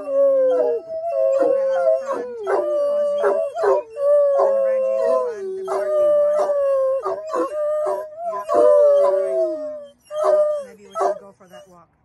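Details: Several pet otterhounds singing in a car at a local park's parking lot, excited before an evening sunset walk: overlapping long, wavering howls, some steady and others sliding up and down, broken by yelps, in a continuous chorus fading near the end.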